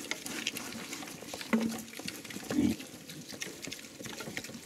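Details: Hungarian Mangalica pig eating chicken offal, giving two short, low grunts about a second apart over a steady background of wet chewing, smacking and pattering feeding noises.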